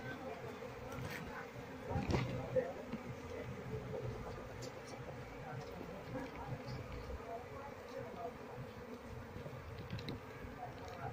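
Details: Wild Asian honey bee colony (Apis cerana) disturbed while being moved to a hive box and searched for its queen: steady low hum of many bees with faint crackling, soft murmur of voices now and then.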